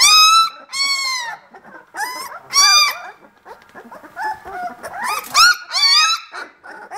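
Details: Young vizsla pups at 18 days, kennel litter B, crying in loud, separate bursts of high arched squeals with softer whimpering between them, several puppies overlapping.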